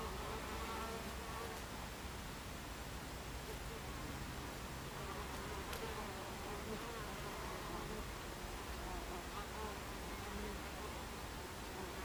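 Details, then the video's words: Crowd of Buckfast bees buzzing at the entrance of their hive on a July 2013 afternoon, 14:30; continuous even droning hum, with a few soft brief clicks from individual bees passing close. "Beehive Entrance Buckfast Bees"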